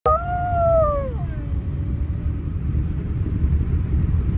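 A wolfdog puppy gives a short, high, wavering howl that slides down at the end.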